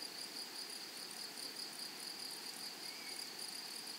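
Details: Grasshoppers in a flowering meadow give a dense, unbroken high buzzing trill that pulses slightly, with a fainter overtone above it and soft rural background hiss.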